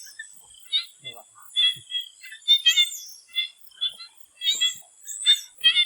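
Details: Swamp frogs in Thailand calling before sunset: short bursts of clicking, pulsed notes grouped in quick clusters, some louder and some softer. A steady high insect-like hum runs beneath.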